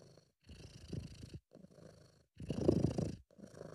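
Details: Relaxed, contented British Shorthair cat purring, recorded by an amateur at home. Three low, rumbling purr bursts with a short pause between, the final exhale-phase burst noticeably louder and fuller than the first two.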